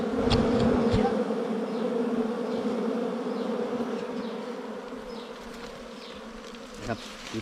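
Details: Wild bees swarming at their nest during a honey hunt, a steady droning hum with a low and a higher layered tone, loudest in the first seconds then easing slightly, with brief clicks and handling noises.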